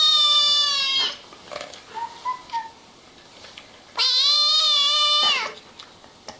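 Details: Two long, loud, strained meows from kittens playing with their mother, each over a second long and steady in pitch, with a short, soft squeak heard in the quiet gap between them.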